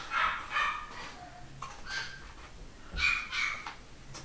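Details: Pedigree Basset Hound puppies from a UK home-bred litter, 2015, make short, sharp yips and squeals. There are about four quick bursts, and some end in thin rising whines.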